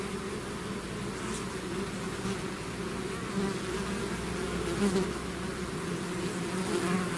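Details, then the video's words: A mass of bees swarming out of the hive creates a constant, thick buzz, with a few individual insects flying closer now and then and briefly rising above the steady drone. "bees therapy swarm natural buzzing sound"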